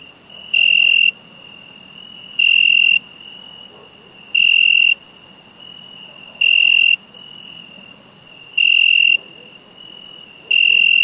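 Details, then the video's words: Cricket calling: shrill, high, pure-toned chirp bursts about half a second long, repeated roughly every two seconds, with a fainter continuous high trill between bursts and a low background hiss. "Cricket Sound Effect"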